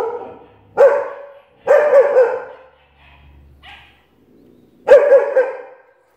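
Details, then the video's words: A long-haired German Shepherd barking at the TV: a few deep, loud barks with pauses between them. "German Shepherd Amadeus barking at tv"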